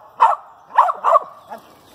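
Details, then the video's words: Dog named Pocahontas treeing a squirrel in a pine thicket, the squirrel up in a nest; four sharp barks, three close together and a softer fourth, each ringing briefly in the woods. "Lakebottoms Pocahontas treed with the squirrel"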